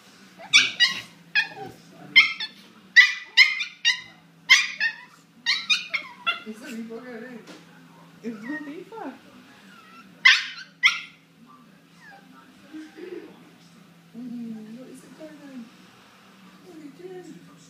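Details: Two dogs locked in a fierce fight: a rapid burst of sharp, loud yelps and barks over the first six seconds, a lone pair of yelps near ten seconds, then lower whining and growling sounds, with a person's voice in the background.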